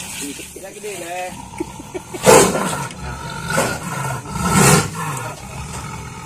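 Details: A young Sumatran tiger, about one year old, caught in a wild snare on a plantation in Gulo village, Darul Hasanah, Southeast Aceh, Indonesia, and rescued for release by BKSDA Aceh, gives three rough, broad roars about a second apart beneath a talking voice.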